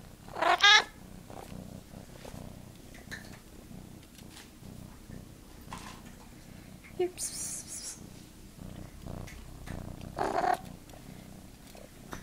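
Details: Pet cat talking back to its owner, giving a few short chirping meows spaced several seconds apart amid the owner's conversational speech and quiet room noise.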